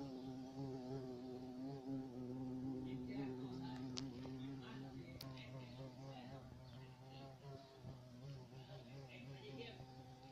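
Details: Black bumblebee, the European carpenter bee, buzzing in a deep, continuous hum whose pitch wobbles gently up and down, with faint higher rustles and a couple of sharp ticks in the background.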